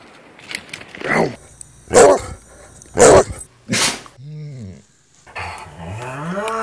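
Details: Treeing Walker Coonhound, a pet dog, giving three loud, sharp barks about a second apart, followed by lower, drawn-out moaning vocal sounds and softer rustling noises.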